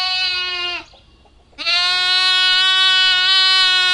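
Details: Lamb calling with long, loud, strongly harmonic bleats: a short one that breaks off, a brief silence, then a sustained steady bleat lasting over two seconds with a slight quaver.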